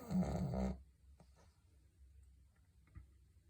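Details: Dog producing a loud, gravelly snore under a second long, followed by soft breathing and faint rustles in a quiet room.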